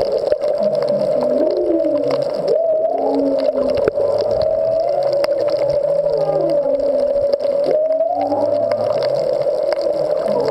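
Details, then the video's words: Humpback whale song recorded underwater at the Back Wall of Molokini off Maui, with the whales unseen but nearby: low swooping moans and upsweeps under a steady humming tone, probably a boat. "Whale Songs at Molokini"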